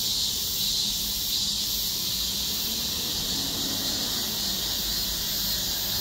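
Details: Several cicadas of various kinds sing together in a dense, unbroken high-pitched chorus of buzzing and hissing, on a shaded forest walking path on a very hot, windless summer day of about 32°C.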